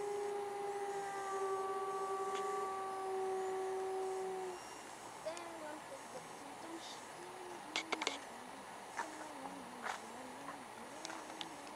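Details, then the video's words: A white wolf at the Metro Toronto Zoo gives a long, steady, mid-pitched howl that holds level and then drops away. "White Wolf Howl, Metro Toronto Zoo"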